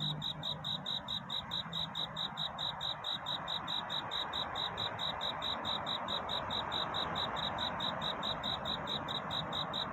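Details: Cricket courting in the night toward dawn, sending out rapid, evenly timed high chirps against a fuller wash of broadband background noise.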